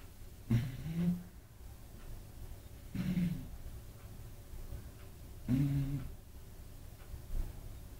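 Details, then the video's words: Kira, an eight-month-old female Beagle, sleeping soundly beside another dog, Apolo, snores loudly: three low rumbling snorts, each about half a second long, come roughly every two and a half seconds, with soft breathing in between in a quiet room. "Beagle roncando"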